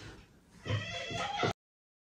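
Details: Domestic cat chattering in a short burst of about a second, rapid clicking harmonic calls with a faint low background hum, then abrupt silence.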